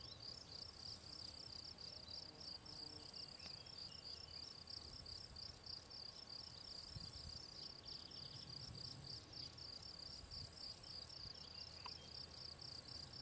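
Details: Gryllus campestris field cricket from the Draga valley at Ribniki, 18 June 2023, giving a continuous high pulsed chirping, evenly repeated several times per second, over faint low background noise.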